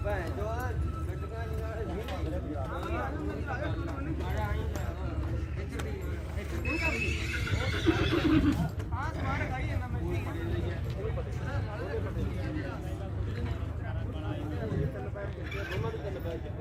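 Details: A stud-farm horse shown at the Ganganagar fair; a brief whinny rises midway through, set against clip-clopping hooves, crowd chatter, announcer speech and faint music.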